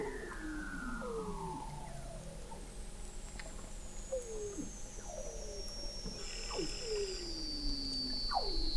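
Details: Weddell seals beneath the sea ice of McMurdo Sound, Antarctica, recorded in November 2017 at the McMurdo Oceanographic Observatory, 21 m below the ice: overlapping downward-sliding whistles and short falling chirps, with a long high whistle gliding down overhead.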